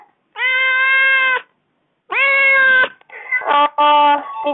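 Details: Domestic kitten complaining after four days without its owner at home; two long, steady, tonal meows, then a broken run of shorter choppy cries.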